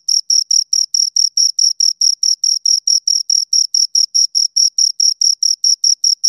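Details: Two crickets produce a regular train of high, scratchy chirps, around four or five per second, steady in loudness against a quiet background.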